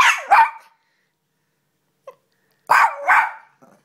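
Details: Shoodle puppy, a female pet, barking excitedly when asked where mummy is: two loud, high, ragged yelping barks, a short pause, then two more, with a faint small yip between.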